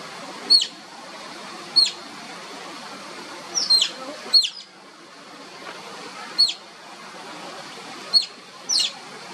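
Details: Oriental (Asian) small-clawed otter pups playing, giving sharp high whistles, short downward-sweeping squeaks in irregular bursts about every one to two seconds, some doubled, over a steady background hiss.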